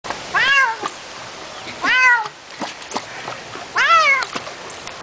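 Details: Ragdoll cat during its first time ever swimming gives three loud drawn-out meows, each rising then falling, spaced about two seconds apart, with splashing water and small knocks between.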